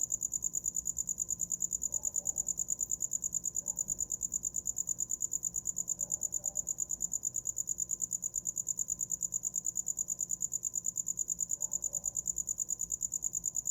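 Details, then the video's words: A cricket's continuous shrill chirping, fast regular pulses holding one high pitch without pause; very faint low sounds now and then underneath. "Som de grilo para dormir"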